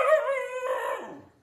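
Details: Dog letting out a brief, wavering howl that shifts pitch midway and fades out within about a second and a half.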